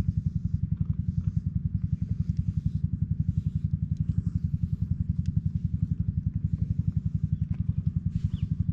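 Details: Close GoPro HERO8 recording of a silver tabby stray cat purring as it is stroked while lounging on a park bench; a deep, even, rapidly throbbing purr runs unbroken throughout, with faint rustles on top.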